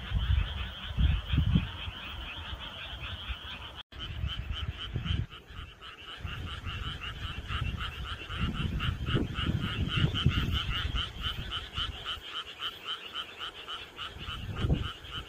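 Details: Frogs chorusing on a deepening summer night: rapid pulsed croaks repeated several times a second in a dense ongoing chorus, a brief break near the four-second mark, with low thumping rumbles underneath.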